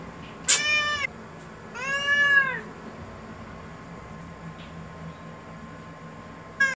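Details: Domestic cat meowing indoors: two drawn-out, wavering meows in quick succession, the second rising then falling, followed by a brief start of a third, over a steady low hum.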